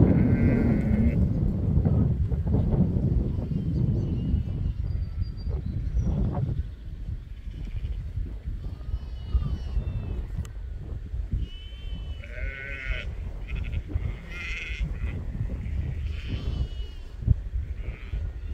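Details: Sheep bleating: several quavering, wavering bleats, one near the start and a cluster in the second half, over a steady low rumble of wind or handling noise.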